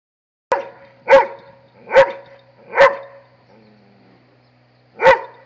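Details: Dobermann barking at a monkey: five loud, sharp barks with a rich harmonic stack, the first four coming roughly every 0.85 seconds, then a pause before a final bark; a low steady hum underneath.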